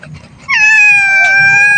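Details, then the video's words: Pet domestic cat at feeding time, refusing food and said to be afraid of another household animal; one long, clear, steady meow held for over a second after a quiet start, with faint speech beforehand. "MEOW MEOW, MGA ALAGA KO NA PUSA"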